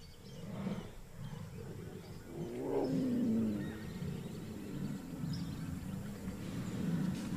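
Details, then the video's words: A female jaguar in the Pantanal wetland, South America, roars after disappearing into the forest: a deep, rough, reverberating rumble swelling and fading over several seconds. "The jaguar's a true big cat, and you can hear that by that roar."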